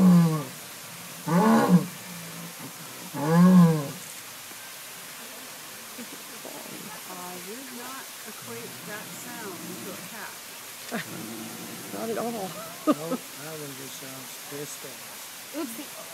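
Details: Captive jaguar at the San Diego Zoo, seemingly agitated: two loud, low, harmonic calls with rising-and-falling tone, about two seconds apart, open the recording, followed by people chatting nearby with faint background noise.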